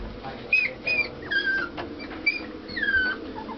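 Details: Puppy five weeks and one day old whimpering: a run of thin, high whines, each sliding downward in pitch, about five in under four seconds, with faint indoor background noise.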